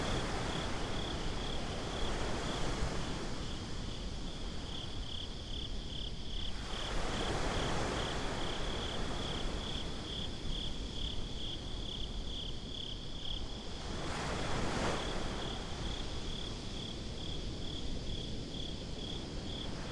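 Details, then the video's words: Crickets at night on a beach, binaural recording: steady, rapid chirps pulsing around four per second in a continuous high band, over a low rumble of surf with broad waves of wash swelling around seven and fifteen seconds. "Crickets at the Beach"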